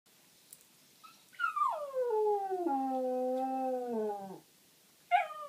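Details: West Highland White Terrier, a pet dog indoors at night, howling after failing to find a spot to bury his toy: one long, moo-like falling howl lasting about three seconds, sliding down and then holding low, followed by a brief higher yelp.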